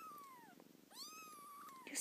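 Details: Loud kitten, meowing in its mother's ear, gives two clear tonal meows, the first falling, the second rising then holding level, above a rhythmic purr.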